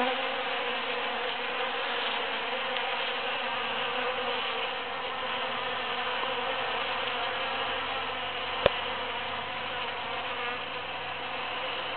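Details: Bees foraging on huge cactus flowers after the June 22, 2013 Super-Full Moon fill the air with an unbroken, even hum; one sharp click stands out near the end.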